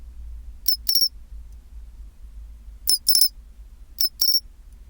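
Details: Chinchirorin of a pine cricket at 24°C, three short sets of ringing high-pitched chirps, each a quick tick followed by a slightly longer trill, separated by pauses of about a second, with a soft low rumble beneath.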